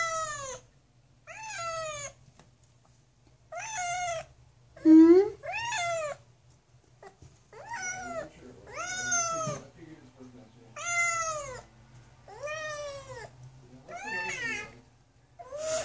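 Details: Kitten closed in a bathroom and wanting to get out meows insistently, about nine loud harmonic cries roughly every one to two seconds, each rising then sliding down, one brief squeak in between, quiet room otherwise.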